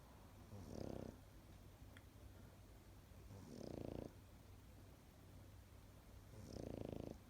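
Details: Three rasping, fluttering snores from a sleeping Pekingese, spaced about three seconds apart, each lasting under half a second over a faint constant low hum.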